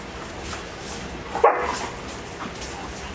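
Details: Dogo Argentino puppy playing on a couch gives a single short, sharp yip midway through, rising briefly in pitch, with a quiet room and little else around it.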